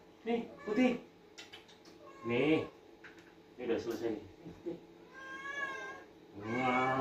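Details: Two pet cats, an orange one and a white one, calling noisily while being fed indoors; drawn-out harmonic meows with a wavering pitch, loudest near the end, with Indonesian speech between the calls.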